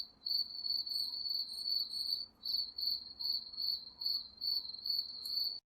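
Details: At night in woodland, crickets keep up a shrill, even pulsed trill, roughly two to three pulses each second, with scattered very high faint notes behind.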